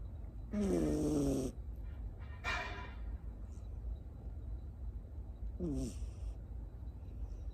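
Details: Tamago, a Miniature Schnauzer puppy from Nago, Okinawa, now in Osaka, born 9 October 2021, dozing on a lap: three rasping, buzzy snores with falling harmonic tones come at irregular intervals against a low indoor hum.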